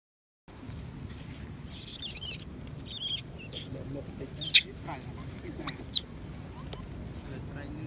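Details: Baby female monkey at Angkor, Cambodia, crying loudly for her mother to come and nurse her, possibly unwell: high, wavering whistled cries in four bursts, some bending downward, over steady low background rumble.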